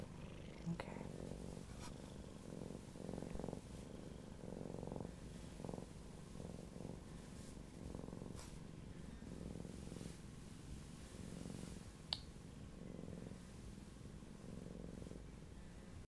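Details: Siamese cat after falling in a giant box, described as happy, purrs softly indoors: low rumbling pulses in a steady rhythm about twice a second, with faint handling rustles and a quiet room hum.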